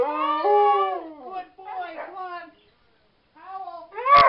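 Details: Dog howls at a vigil for the Whistler 100: a steady held howl steps up in pitch, then falls away, followed by shorter wavering howls, a silent gap, and a loud abrupt burst at the end.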